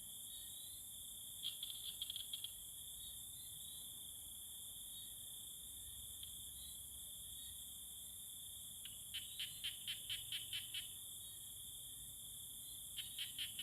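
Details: Tree frogs courting: two bursts of about ten rapid, dry clicking pulses, then a shorter burst at the end, set against a steady high insect drone and a fainter shrill whine above it.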